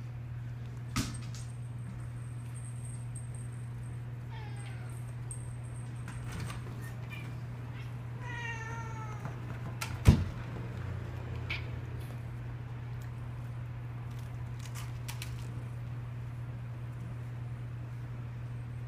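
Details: Pet cats playing with new toys indoors; two short meows with stacked rising-falling harmonics near four and nine seconds, a sharp knock around ten seconds, over a steady low electrical hum and faint rustling.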